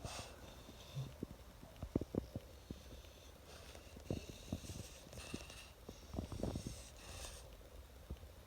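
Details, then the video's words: French bulldog Oleg, cold and wrapped in a blanket, chattering his teeth indoors: quick dry clicks in uneven bursts, with soft sniffs and snorts between them. "Стучит зубами. Французский бульдог"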